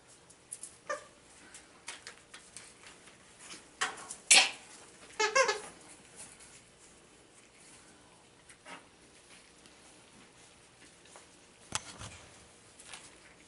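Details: Boston Terrier puppies out at play time together, 13 September 2017; a few sharp, squeaky yips and short whines cluster midway, spaced by quiet stretches of soft patter and scuffling paws.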